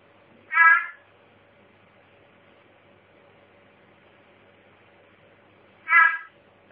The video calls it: Mossy Frogs & Peacock Tree Frogs Calling